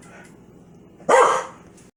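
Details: A single short, loud bark from Foxy the Corgi, angry at a sneeze, rising sharply out of a quiet room hum and fading quickly.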